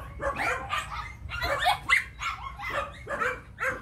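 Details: Muscular yellow female Phu Quoc Ridgeback, nearly six months old, at a Saigon kennel and called a rat killer. Regular short barks repeat about every half second throughout.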